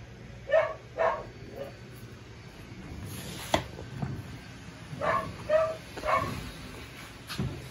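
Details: Seven-week-old puppy Lucille yelps in two bursts of short, high barks, first at the start and again near the end, with handling noises and rustling between them.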